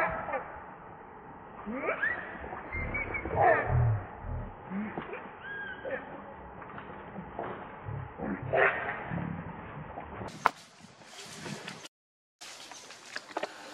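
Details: Baby monkey Lucie, hungry and pitiful, crying for milk: wavering, thin tonal cries that rise and fall in short bursts over a murky background, giving way near the end to loud broadband rustling and handling noise.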